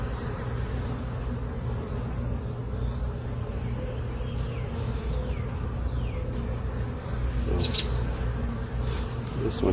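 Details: Continuous low droning of a honey bee colony opened for inspection in the late afternoon, after foragers returned. The bees settled in the hive box on April 29, 2022. Short clicks and handling noises come near the end.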